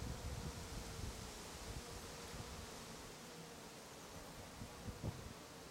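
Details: Bees and other insects working lavender flowers in Brittany; a continuous droning hum carries over low, gusty rumbling of wind or handling, the buzz holding steady across the whole stretch.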